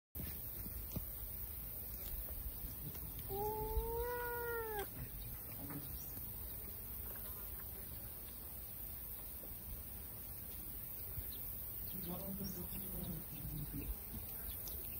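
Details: Kitten meowing indoors: one clear, drawn-out, slightly arching meow lasting about a second and a half. Later come a few fainter, shorter mews. Soft background hiss and faint rustling fill the rest.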